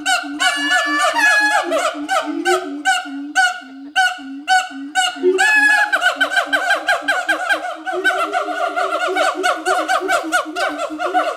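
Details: Two adult siamang gibbons, a monogamous pair at Schmutzer Primate Center, in full duet advertising territory: dense rapid barking hoots layered with overlapping calls, building to a fast, continuous climax of shrill pulsing notes.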